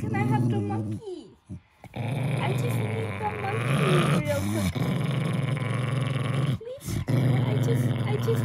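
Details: Pet Jack Russell Terrier protecting his plush monkey, growling in low continuous rumbles with a short break, while a woman talks over the sound.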